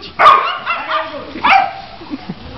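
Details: Two sharp, raspy barks from a pit bull facing off with a poodle, spaced just over a second apart, with a softer muffled bark between and faint voices behind.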